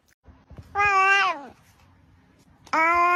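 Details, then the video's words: Pet cat making a funny, squeaky noise indoors; two long, strained, harmonic wails, the first about three-quarters of a second long and falling at its end, the second starting near the close. "Top 5 Hilarious Cat Noises"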